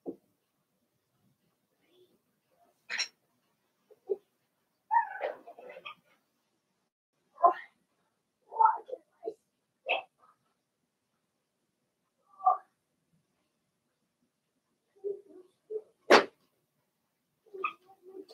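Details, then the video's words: Indoor pen of six young Blenheim Cavalier King Charles Spaniel puppies, Remy's first litter born March 7–8, during potty training; scattered whines and short yelps at irregular intervals, mixed with sharp clicks and knocks from the pen. "Cavalier Puppies Live"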